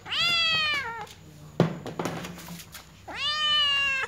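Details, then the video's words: A small white cat gives two loud, clear meows about three seconds apart. Each is a bright, harmonic, slightly falling cry near a second long, with soft rustling and a thump between them indoors. "Little cat white meows the most of all there is"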